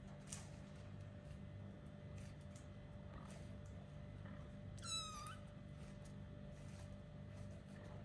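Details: One short, high meow with a falling tail from a young kitten about four weeks old at play, surrounded by soft clicks and scuffles and a constant background hum.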